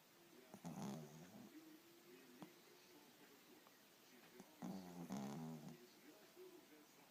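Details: Tired pet dog asleep and dreaming indoors, snoring loudly; two rough, low rasping snore bursts with stacked harmonics, about four seconds apart, separated by quieter breathing.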